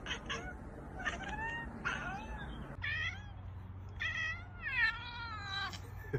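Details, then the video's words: Domestic cat making weird, funny noises, a series of short meows and chattering calls: rising and falling harmonic wails, several quick clipped bursts, then longer wavering meows near the end over a low steady hum. "Funny cats making weird and funny noises! Ekekekkek"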